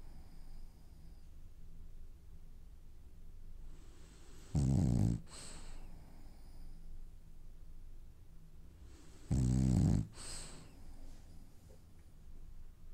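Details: French Bulldog asleep and dreaming, snoring in two long rasping, low, rumbling breaths about five seconds apart, with quiet breathing between them.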